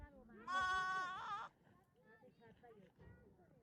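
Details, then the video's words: Newborn lamb giving one loud, harmonic-rich baa lasting about a second, slightly wavering in pitch, followed by quieter, fainter sounds and low background rustle. "Cute baby newborn baby sheep baaing,loud noise,Cute baby lamb has a loud baa"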